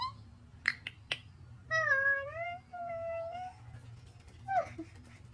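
A corgi gives two drawn-out, wavering whines, the first dipping and rising, the second flatter.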